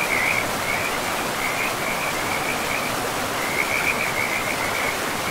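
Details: Frogs calling beside a river in a pristine forest: a high, trilling croak repeats in short bursts, pausing near the middle, over a steady broadband rush of flowing water.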